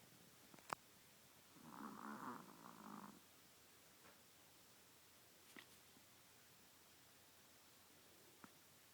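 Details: Sleeping Chihuahua on someone's lap gives a single soft, rough snore lasting about a second and a half, then quiet breathing silence broken by a few faint taps.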